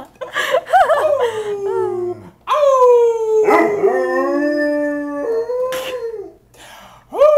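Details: Pet dog trained over months to howl at the fire siren; drawn-out falling and rising howls with strong layered overtones, a short gap near the middle, then a final rising note.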